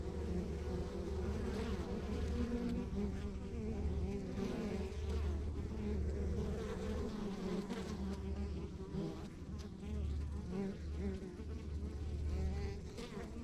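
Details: Steady, droning buzz of many honey bees at a rural backyard hive, a thick continuous hum with deep low rumble and small shifts in loudness throughout.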